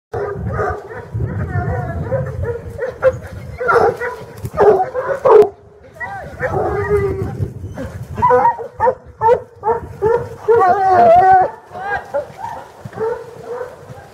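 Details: A pack of farmers' bloodhounds bays in deep, drawn-out, overlapping cries during a New Year's Day hunt on 2 January 2012, with voices now and then.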